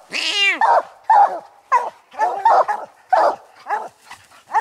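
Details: Coon dogs Lucky, Mossie and young Star bay at a raccoon treed while hunting. A long falling bawl opens, followed by short choppy barks about twice a second, with several dogs overlapping.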